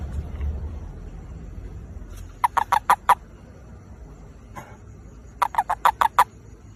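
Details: Toad calling to find a mate, heard as two bursts of five or six rapid, nasal pulses, each burst lasting under a second and spaced about three seconds apart over a low background hum.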